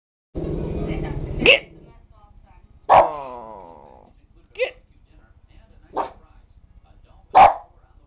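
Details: Nine-year-old Lakeland Terrier barking: a person speaks briefly at first, then five sharp, loud barks follow, spaced roughly one and a half seconds apart, one with a drawn-out ringing tail.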